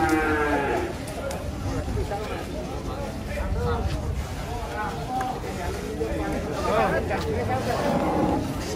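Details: Raging giant cattle getting off a truck, short harmonic moos scattered through a noisy, crowded background with low rumble and some human voices.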